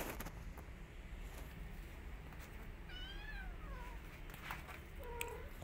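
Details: Domestic cat scene, a mother cat attacking an orphan kitten after smelling her: two thin, high meows, the first wavering and sliding down midway, the second short and flat near the end, over low rumbling background.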